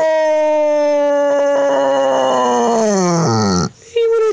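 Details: Basset Hound gives a long, sustained howl that sags downward in pitch before a short yelp, seemingly in response to being asked to talk to his dad at Christmas.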